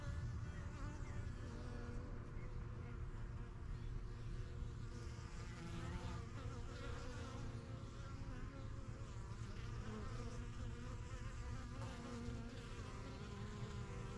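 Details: Honey bees at a busy yellow backyard hive, the strongest of a first few hives started in spring 2023, flying in and out while getting used to the surroundings; a steady dense hum of many overlapping wingbeats, with shifting wavering buzz tones.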